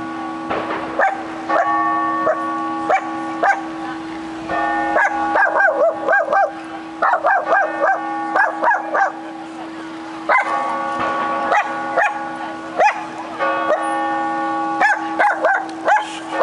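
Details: Barking from a dog in Cardiff as it pulls toward another dog: quick runs of sharp barks, often three to five in a row, then short pauses, while bells ring continuously behind.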